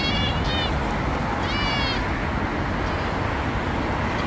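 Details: Injured cat in Dubai giving two short harmonic meows close together in the first two seconds, then falling silent over a steady low rumble of road traffic.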